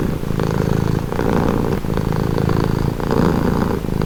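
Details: Cat purring as a calming sound, a dense low rumbling drone pulsing with inhale and exhale cycles about every second or so, loud and close throughout.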